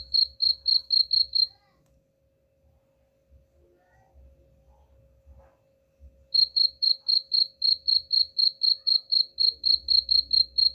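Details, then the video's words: Cricket chirping, used to drive away rats: bright high pulses repeated about four per second, a burst of six, then a silence of roughly five seconds before a long steady run resumes; faint low rumble underneath. "suara jangkrik pengusir tikus ampuh"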